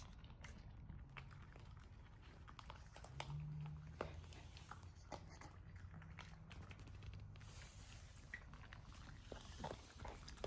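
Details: Puppy eating indoors in a small room: steady soft crunching and wet chewing clicks, with irregular sharper bites scattered throughout and a low hum underneath.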